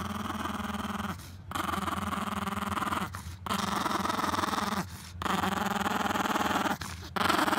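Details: Scottish Terrier called Scott meeting a chihuahua named Leon at the water; steady, buzzing growls lasting about two seconds each, separated by brief silent gaps, over a constant low hum.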